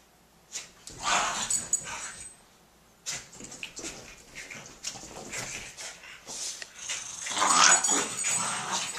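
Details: Jack Russell Terrier Molly and French Bulldog Elmer at play indoors, recorded 30 April 2012: bursts of scuffling, breathy growls and whines, a brief pause near the middle, then louder excited grumbling toward the end.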